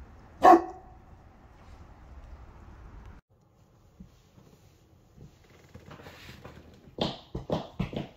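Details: Cane Corso named Shogun, a three-year-old blue brindle male of 130 lbs, out for a walk, filmed on an S21 Ultra: one sharp, deep bark near the start, then quiet broken by faint taps and a few clicking knocks.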